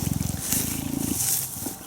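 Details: A hand-raised female cheetah at a rescue centre in 2015 purrs with a deep, rapid throbbing rumble, a sign of affection, while grooming a volunteer's neck and scalp.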